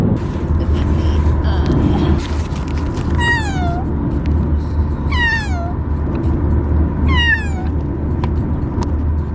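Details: Bengal kitten Fox, a young male, calling during the car ride on his first day home. Three drawn-out, downward-sliding meows about two seconds apart rise over constant low road and engine hum.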